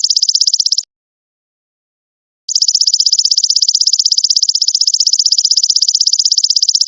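A golden locust gives a high, steady, rapidly pulsing buzz that breaks off briefly and then resumes.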